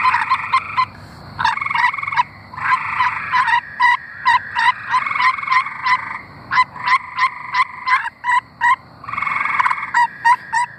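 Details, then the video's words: Several tree frogs singing in Arkansas. Short pulsed trills overlap in a busy chorus, bursts of about half a second to a second and a half following each other with little pause, plus high, quick rattling notes above. "Singing tree frogs"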